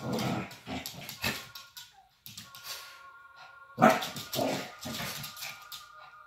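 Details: Shih Tzu play fighting indoors in the main room, giving bursts of rough, low snarling growls in quick clusters with short pauses between them. A faint steady electronic hum runs underneath.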